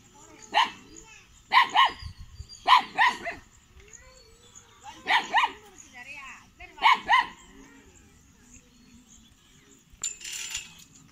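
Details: Guarding Kanni and Chippiparai puppies, 81 days old, at a dog sanctuary in Tiruvarur on 2 August 2021; bright barks, often doubled, come roughly once a second for seven seconds, then a brief noisy burst.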